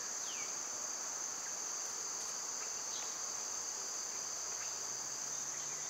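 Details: Loud summertime cicada drone, high and constant, with a couple of quick downward bird notes and a soft low hum near the end.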